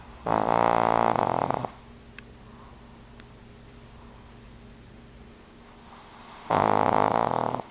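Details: Two-year-old pug Fran Q snoring noisily indoors as the TV plays; two loud, rasping, fluttering snores roughly five seconds apart, quiet breathing and a couple of faint clicks between them.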